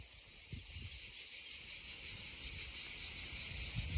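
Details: Cicadas droning beside a babbling stream, recorded as original sound: a steady, dense high-pitched buzz that slowly swells in loudness, with soft low thumps and rumbles underneath.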